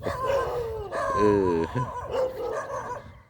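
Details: Pit Bull bandog, described as tiring very easily, gives tonal whining notes with a sustained wavering whine in the middle and short yelping cries around it, over a low background rumble.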